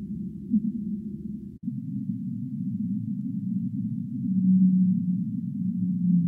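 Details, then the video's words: Humpback whale song, a steady low rumble with a sharp break early on, then two drawn-out level moans near the end, each about a second long. "Humpback Whale Singing"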